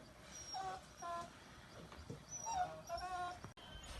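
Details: Dog puppies, among them Great Dane, Shih Tzu, Chow Chow and American Bully pups, giving thin high whimpers and short yips with rising and falling tones, several brief cries spread across four seconds over a faint background hiss.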